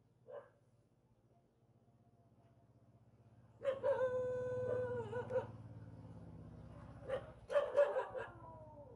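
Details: Village dog living near a mountain, unhappy at meeting people: a single short yelp, then a drawn-out, wavering howl-like whine lasting over a second, and a rough burst of barks, over a low steady hum.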